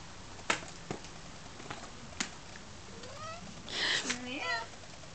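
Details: Cat named Emily playing with a Cat Dancer toy, chirping and pouncing indoors; scattered soft thumps, then two faint rising chirrups near the end, with quiet room hiss.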